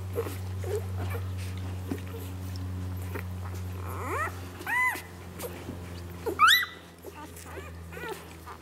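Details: Newborn Labrador Retriever puppies from Lily's litter, one day old, recorded 01/04/2012: a few thin, high squeals that arch up and fall away, then one sharp upward squeal near the end, over a steady low hum with faint voices.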